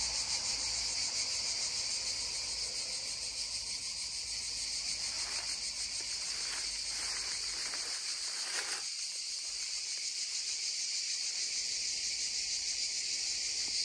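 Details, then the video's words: Cicadas droning beside a babbling stream, original sound: a loud, steady shrill buzz, briefly overlaid midway by a few short mid-pitched sounds before the drone continues alone. "溪聲蟬鳴2(原音), babbling stream and droning cicadas 2 (original sound)"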